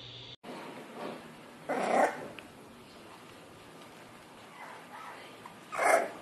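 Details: Bulldog from a funny bulldog compilation giving two short, rough bark-like bursts, one near two seconds and another near six seconds, over a quiet indoor hiss.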